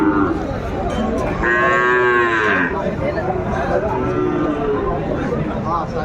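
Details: Sahiwal bull calf at a cattle market in Faridpur, Bangladesh, on 24 December 2024: a single drawn-out, harmonic-rich moo held for about a second in the middle, over constant crowd chatter and market noise.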